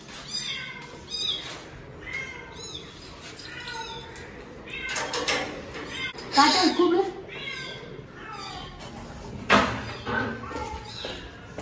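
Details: Kittens trapped inside a locked house, with the mother cat crying for them during the rescue: a steady run of short, high, repeated meows about every second, with louder bursts, people talking and music underneath.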